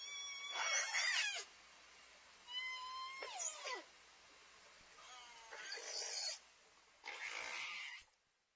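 Southern resident killer whales give four bursts of squealing, harmonic calls that bend and jump in pitch.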